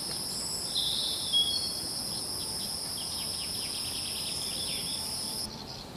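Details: Insects in the wild give a constant, high, ringing trill in two steady bands. Brief chirping notes, possibly from birds, break in near the start and in the middle over a faint outdoor hiss.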